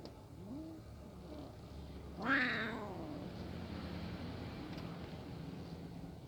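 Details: Hungry kitten watching a pair of cats eat together; one loud drawn-out meow that rises then slowly falls over about a second, preceded by a faint short cry, with low background hum.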